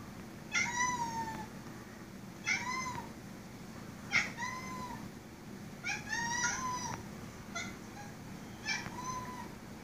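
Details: A two-year-old Siamese cat gives a run of short, bright meows, each bending down at the end, while "talking" to a spider on the ceiling.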